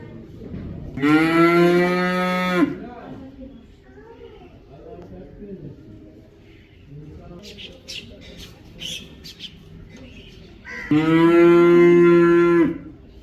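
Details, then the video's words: Cow letting out two loud, sustained moos about ten seconds apart, each under two seconds, with quiet gaps between holding faint murmurs and brief high clicking sounds. "Cow sound | cow sound effect | cow video"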